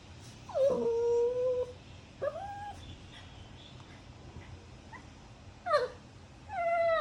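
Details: A dog whimpers and yips in high, tonal cries that slide down then hold steady, in short bursts spread across the seconds, over a faint low hum.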